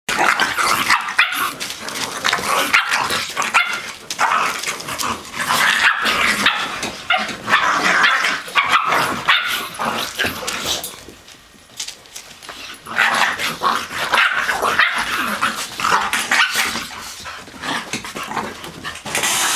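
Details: Blue nose pit bull Lola playing with her 10-week-old puppies while Chihuahua Pacino joins in; dense overlapping yips, growls and barks run almost continuously, with a brief lull near the middle before the scuffling noise resumes.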